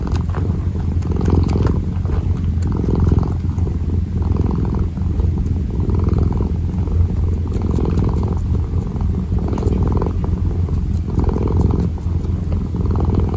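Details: Kitten purring while kneading indoors: a deep, continuous rumbling purr that swells and fades in steady breath cycles of roughly one to one and a half seconds, with faint rustling on top.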